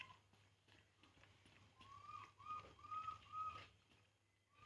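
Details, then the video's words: Crying from Poo, a baby monkey drinking milk: four clear, high, arched whistled notes in a steady run about every half second, then a single rising note at the end. "baby monkey Poo, Poo crying drinking milk."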